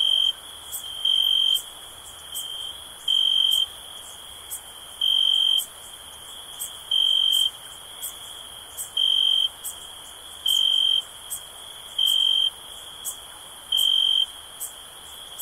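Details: A constant shrill cricket drone punctuated by nine brief, loud trilled bursts, each about half a second, coming regularly every one and a half to two seconds.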